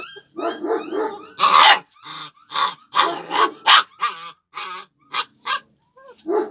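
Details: Several overlapping yips and barks from Kangal shepherd puppies, bright and strongly harmonic, tumbling out in quick uneven runs with brief gaps, some notes bending upward at the ends.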